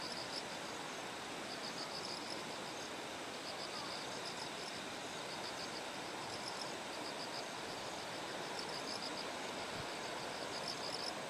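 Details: Kikuchi terraced rice fields in Kumamoto, Japan, morning of September 6 before Typhoon No. 10: bell crickets give bright, high, beaded trills in repeated phrases, partly masked by the continuous hiss of a flowing stream.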